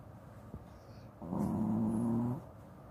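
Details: A Shih Tzu in deep sleep, wearing a cone collar because of an eye infection, gives a single low, buzzing snore lasting about a second, its tone steady and slightly rising, after a soft tap.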